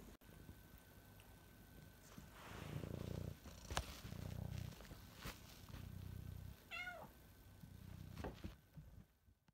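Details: Domestic cat purring indoors, a low rumble in steady bursts of about a second each with short gaps for breath, a quick wavering meow near the end, and a few sharp knocks and thumps.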